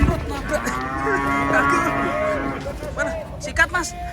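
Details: Enraged cow coming down off a truck in Indonesia: one long, steady, harmonic bellow held for over two seconds, followed by short broken calls, with voices of handlers around.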